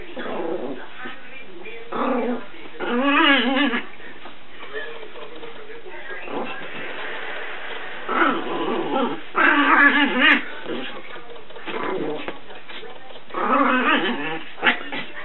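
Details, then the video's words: Chihuahua puppy about eight months old running crazily around the house and playing: bursts of squeaky whines, grunting growls and yips with rapid warbling pitch, separated by short pauses, with a person's voice at times. "Crazy Chihuahua Puppy"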